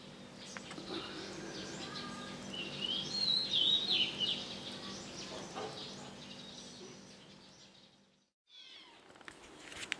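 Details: Four-week-old kittens giving thin, high-pitched mews clustered in the middle seconds, brief squeaky rising and falling notes over a steady low background hum, with a short silent gap near the end followed by faint scratchy sounds.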